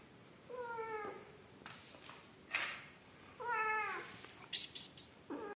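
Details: From the rescue of Amarilla, a yellow mother cat with newborn kittens: two clear, steady meows about three seconds apart with strong stacked harmonics, separated by handling clatter and rustling, then a rising cry cut off at the end.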